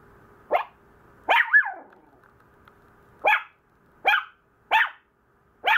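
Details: Maltese puppy fussing: a single yip, then a drawn-out two-part whiny bark, followed by four quick high barks under a second apart over a light steady hum.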